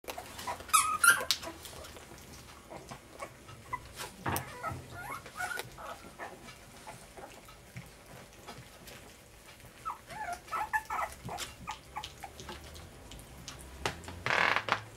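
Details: Puppies at dinner time on day 23, giving scattered short whimpers and yips amid clattering and shuffling indoor noises, with a loud burst of noise near the end.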